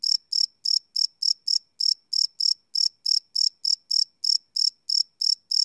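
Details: Crickets at night, recorded live on a Sony PCM D100 field recorder, give a continuous series of sharp, high-pitched chirps, about three each second, slightly uneven in spacing, against total quiet.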